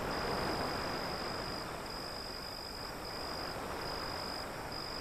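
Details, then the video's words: A constant high-pitched cricket trill, faintly pulsed, rides above dense, hissing wave noise that stays steady and loud throughout. "Crickets Sound"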